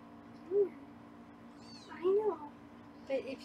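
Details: Foster kittens on a live kitten cam in Los Angeles, meowing while being weighed: three short arched mews at roughly 0.6, 2.1 and 3.1 seconds, with fainter high thin squeaks between them and a steady low hum beneath.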